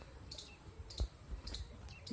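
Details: A squirrel chirps from a tree in a rural Indian village hamlet (dhani), sharp high chirps repeated about every half second over low rumbling background noise.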